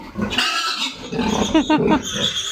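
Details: Weaned sow receiving vitamin injections on a farm pen squeals in short rising and falling harmonic bursts, a brief wavering cry near the end, over a man's voice.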